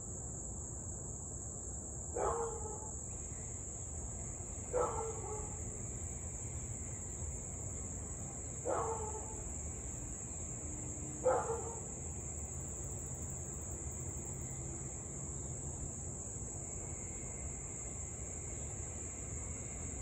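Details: A husky in Louisville barking on an August evening, 2021, during nearly half an hour of nonstop nuisance barking and howling; four brief, harsh barks at uneven intervals of two to four seconds, with a constant high insect whine and low traffic hum behind.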